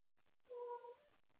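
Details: Pet cat up late at night playing with toys and calling out for someone to play with: a single clear meow about half a second long, steady then dipping slightly at the end, in a quiet room.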